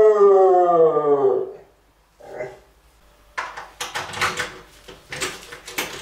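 A Cardigan Welsh Corgi gives a drawn-out, siren-like howl that slides gently downward before breaking off.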